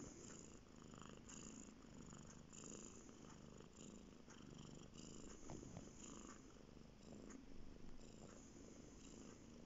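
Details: Male house cat named Bear purring on a bed, a steady low-pitched rumble filling the whole stretch with gentle pulsing, quiet indoor room.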